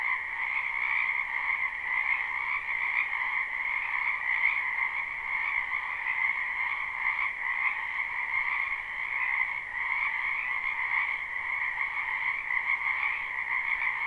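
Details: Frogs croaking in springtime in a wetland behind a home, captured live: a thick, continuous trilling chorus holding two steady pitch bands, the upper one most intense, with faint rhythmic flickers and no other noise.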